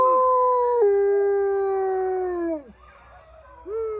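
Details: Wolfdogs at a farm in New Jersey howling along with a guide who leads the group in a howl: one long, steady, smooth tone that drops slightly and then falls away, followed by a short fainter rising howl.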